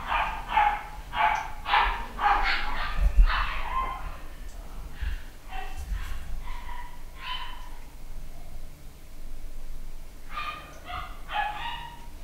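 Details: A nine-week-old male Papillon puppy, pedigree and home bred in the UK, yaps in quick, shrill runs of about two a second. It quiets for several seconds, then ends with another burst of three rapid yips indoors.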